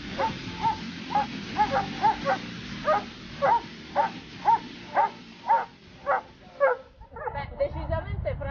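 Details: Dobermann at the Latina section's Dobermann Day, 14 September 2014, during training. Loud, clipped barks repeat about twice a second for seven seconds, then the barking stops and low voices and shuffling noise follow.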